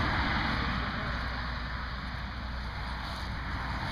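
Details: Steady low rumble of passing vehicles and wind buffeting the microphone outdoors, with no animal voice present.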